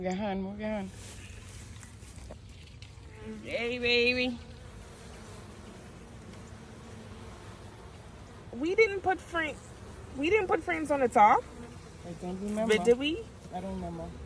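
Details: Honey bee swarm being caught: a steady, low droning hum of many bees runs throughout, with bursts of human voices talking over it at several points.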